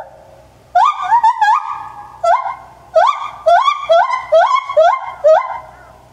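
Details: A nine-year-old male white-handed gibbon named Kotaro calls at Maruyama Zoo on 27 January 2014, after quiet hum: sharp upward-sweeping whoops repeated quickly, about two per second, each ending in a short wavering tone.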